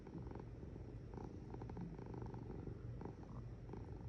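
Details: Short burst of a cat's purr, a dense low buzzing rumble with a fast regular flutter and soft breathy accents.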